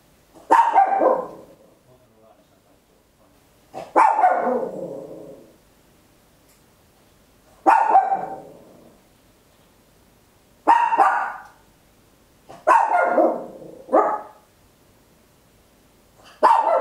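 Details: Papillon, a tiny dog, barks very loud at home in a clean stereo recording; six harsh barks, some doubled, repeated roughly every two to three seconds against near silence.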